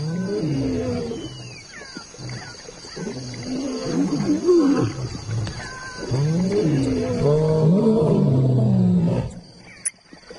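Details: African lion giving deep, rasping growls and roars in long harmonic bursts, rising and falling, with a louder sustained stretch in the second half before breaking off; a faint steady hiss sits in the background.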